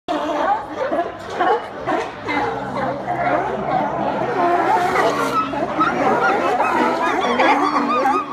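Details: California sea lions at Port Dock One, Newport, Oregon, in a noisy crowd, a constant overlapping din of hoarse barks and honking calls; California sea lion.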